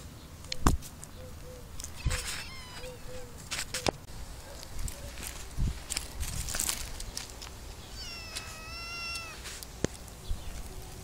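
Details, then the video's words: Cats living in an olive garden in summer: a short series of clear, high, tonal meows early on and a longer wavering meow later, over steady low outdoor rumble with scattered clicks and knocks. "Feline extravaganza, lots of cats live in olive garden, asmr summer sounds"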